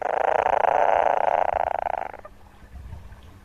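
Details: A frog's call, the second example replayed during a talk on amphibians of the Western Himalaya: a dense, rapidly pulsed rasping burst lasting about two seconds that cuts off abruptly, leaving faint low background noise.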